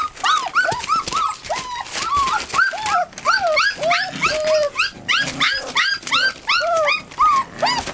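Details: Eight American Bulldog and Siberian Husky puppies yelping and whining together, a busy chorus of short arched squeals and higher whistled whines, overlapping almost continuously with brief pauses.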